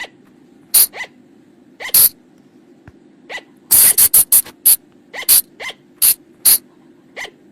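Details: Flying lemur calls recorded in the forest, used after dark to attract the animals: a handful of loud sharp squeaks, a quick rattling burst near the middle, then evenly spaced single notes against a faint hum.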